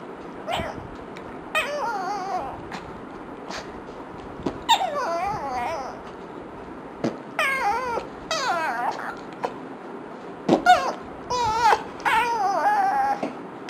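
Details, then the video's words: Indoor pet dog, annoyed by fart noises, produces repeated wobbling, warbling whines and whimpers in bursts of about a second, almost like crying or talking, separated by brief pauses and soft knocks. "Dog hates fart sounds"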